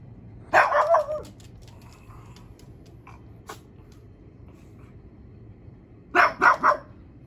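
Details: Pug barking from a back deck at coyotes heard in nearby trees, scaring them away: a quick burst of three barks, about five seconds of quiet with faint ticks, then another triple burst of loud barks.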